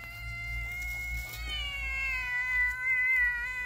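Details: Friendly cat or kitten giving one long drawn-out meow, harmonic and steady, dipping slightly halfway then holding level to the end over a low background hum.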